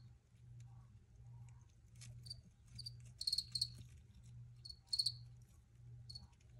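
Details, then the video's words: Several crickets giving short high chirps, scattered at first, then louder doubled chirps in the middle, over a continuous low hum. "Free Cricket Sounds for Re-Use or Relaxation"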